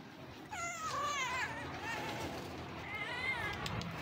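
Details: A stray street cat that wants to be pampered meows twice, each call a drawn-out wavering whine, the second one shorter. Faint outdoor background hum throughout.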